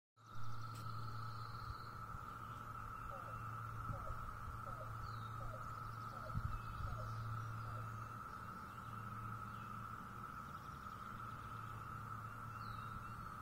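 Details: 17-year periodical cicadas in North Carolina, recorded on 22 May, hold a steady, unbroken droning whine, with a low rumble and a few short chirps underneath.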